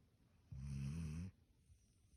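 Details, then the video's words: Standard Poodle sleeping soundly in bed, giving a single low rumbling snore lasting under a second, deep and steady, with quiet room silence before and after. "スタンダードプードル いびき"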